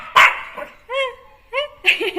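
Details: Neo, a Jack Russell Terrier puppy given freedom after being kept caged, at play indoors; a sharp bark followed by two drawn-out, tonal whining yelps, then another bark as a person talks nearby.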